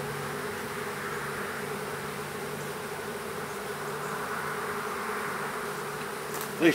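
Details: Western honey bee swarm, small, being hived in a privet hedge thicket in south Alabama, 12 April 2014; a constant droning buzz with a slightly swelling hum, ending in a short sharp knock.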